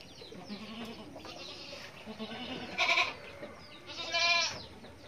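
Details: Young goat kid with two strained, trembling bleats about a second apart, the second longer and more wavering, while birds chirp softly in the background.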